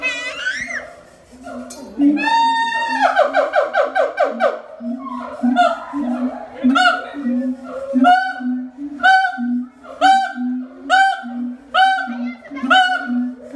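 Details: A siamang at Ragunan Zoo gives loud, ringing barks repeated about once a second over a steady low booming hum.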